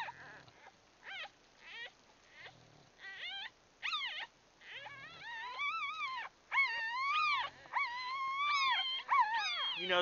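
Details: A litter of newborn Bulldog puppies, almost one day old, grunting and grumbling in the nest; short squeaks build into longer arching whines and cries repeated in quick succession, growing louder toward the end.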